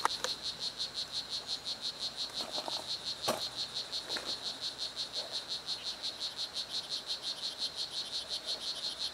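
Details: Strawberry poison-dart frog (Oophaga pumilio) "Blue Jeans" male in Costa Rican rainforest, croaking to impress females: a steady train of quick, high, insect-like chirps, evenly spaced, a few clicks and rustles beneath.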